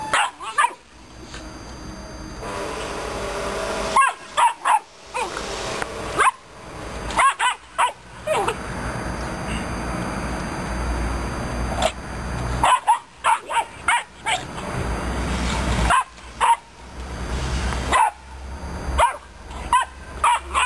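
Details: Aggressive Romanian Mioritic Shepherd Dog puppy barking in sharp bursts. The bursts come in clusters of several quick barks, with pauses of a few seconds between groups and a steady background hum throughout.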